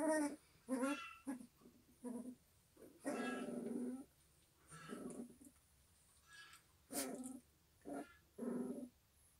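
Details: A litter of eleven white-eyed Pungsan puppies whose eyes have just opened whimper and squeal in short, high, wavering bursts, one after another.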